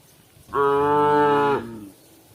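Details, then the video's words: Herd cow calling its companions near nightfall: a single steady, loud moo lasting about one second, even in pitch and richly harmonic, then fading into near silence. "the sound of a cow calling itsherd"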